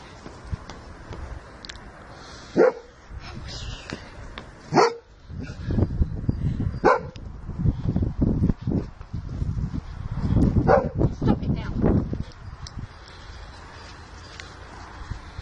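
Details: Female Sussex Spaniel playing with her owners and a second dog: loud single barks spaced irregularly every few seconds, mixed with scuffling, panting-like noise and faint handling sounds.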